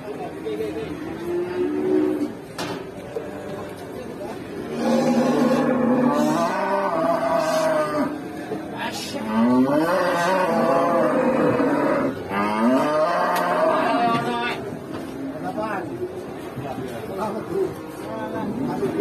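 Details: Rampaging cow causing chaos at an Indonesian market. Repeated loud, strained moos, some wavering and some long and steady, come one after another, with people talking and vehicle noise in the background.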